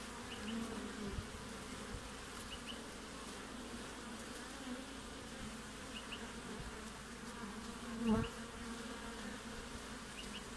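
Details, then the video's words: Honey bees buzzing at the entrance of a hive in the middle of the Australian winter, 20 June: a steady low droning hum with wing-buzz bands, a louder close pass near the end, and faint paired ticks repeating every few seconds. "WINTER BEES front of the Hive Acivity"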